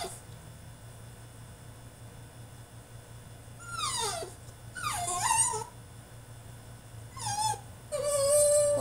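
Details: Caged male French Bulldog in a tantrum, letting out wavering, falling whimpers that grow louder, ending on a sustained steady whine over a low background hum.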